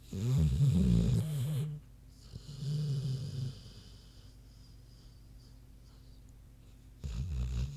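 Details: Queenie, a big pig, sound asleep: a long, loud, rattling snore at the start, then a softer rumbling one, a quiet gap, and another snore rising at the end.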